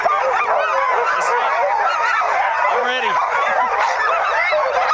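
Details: Team of sled dogs, 2010, eager to get moving as the sled is readied; many dogs yelp and bark together in a thick, overlapping clamor, with a brief man's voice partway through.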